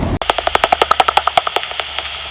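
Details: Soprano pipistrelles fly close to the recordist in a back garden in May, heard through a bat detector: a rapid train of dry, slapping echolocation clicks with occasional feeding buzzes.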